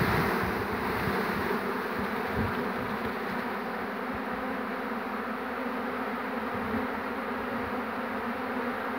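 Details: Massed humming of a honey bee swarm on 2 June 2019 as the bees are led in to their captured queen. A continuous low drone runs throughout, with scattered low thumps of handling.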